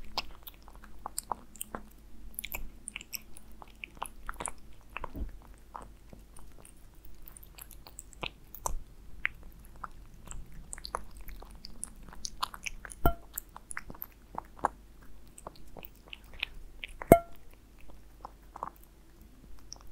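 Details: Aliska the cat eating Friskies wet food with beef indoors, with soft wet smacking and irregular sharp clicks of biting and chewing, a few louder snaps near the end, over a low steady room hum.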